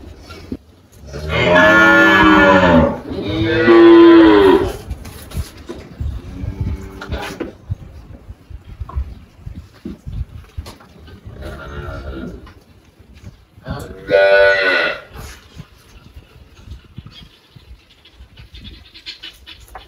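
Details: On a Brazilian farm in Anápolis, Goiás, the Girolando cow Malhada, aged 18, lets out two strong back-to-back moos, then softer, fainter lowing, and one more loud moo later.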